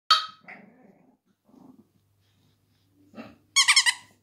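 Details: Female pug puppy finding her bark, July 2019: a shrill yelp, soft low grumbling murmurs, then a quick burst of high, pulsed, squeaky barks.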